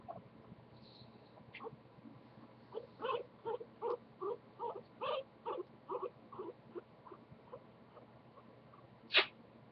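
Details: Pet guinea pig named Goku, held and talked to indoors, gives a run of short rhythmic chutting pulses, about two per second for several seconds, ending with one sharp squeak; a woman's soft voice nearby.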